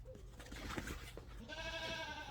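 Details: Nigerian Dwarf baby goats, three young females born on the farm and used to close handling, after a noisy rustling start one gives a steady, nasal bleat lasting under a second.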